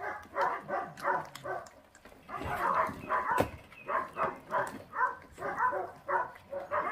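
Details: Eating feral puppy growls in steady pulses about twice a second, each a tonal, throaty burst, with a brief pause midway before the rhythm resumes.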